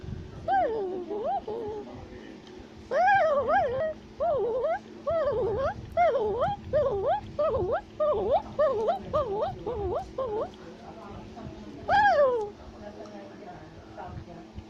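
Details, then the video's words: In South America, a tufted capuchin climbing a tree chatters in a rapid run of arched, bouncing squeals about twice a second, a dozen or more in a row, ending with one louder shout. "Capuchin Monkey is Climbing a Tree While Shouting and Chattering Sounds"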